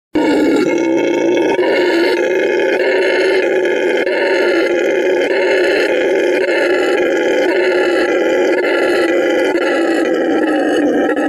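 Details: Red howler monkey (Alouatta seniculus) howls, a deep, continuous, rasping roar that rolls on without a break.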